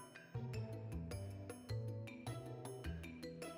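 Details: Music with a steady beat and bass notes plays throughout, with no animal sound heard.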